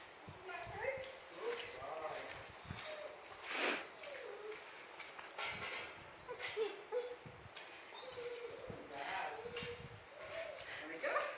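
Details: Two German Shepherds whine in high, wavering, drawn-out tones while a man talks over them, during playtime with other dogs at water after a training session.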